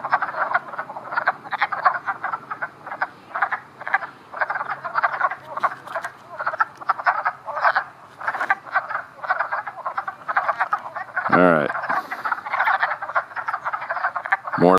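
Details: A dense chorus of wood frogs (Rana sylvatica) at a mating gathering where several males clasp one female, Montpelier, Vermont, April 19, around 3 p.m.: a steady stream of low, hoarse clucking notes like quacking ducks.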